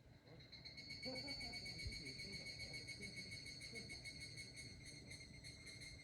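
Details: Higurashi cicada recorded in 2023 on an iPhone 11: a rapid, pulsing metallic trill with a ringing tone runs continuously, with faint low rumbles and scattered background noises underneath.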